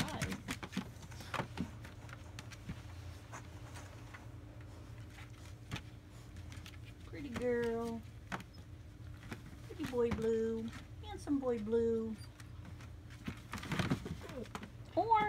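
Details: German Shepherd puppies, AKC-registered, in North Central Florida in July 2017, give three arched, harmonic whines spaced about two to three seconds apart in the second half, after a quiet stretch with faint room noise and soft tapping.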